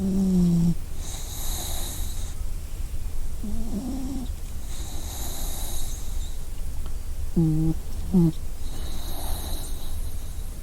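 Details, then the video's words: Puppy asleep and snoring, with airy whistling breaths returning roughly every four seconds above a deep steady drone, broken by brief high squeaks and a soft whine. "snoring puppy"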